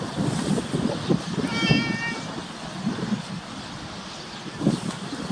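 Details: A tabby cat begging for food outdoors, recorded on a compact camera; one short harmonic meow in the middle, amid rustling, soft thumps and background traffic-like rumble.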